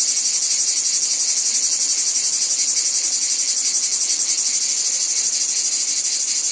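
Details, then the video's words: Cicadas in a wheat field keep up an intense, high, sizzling buzz with quick regular pulses and a faint throbbing beat, constant from start to finish. "Wheat Field Cicadas Background Noise"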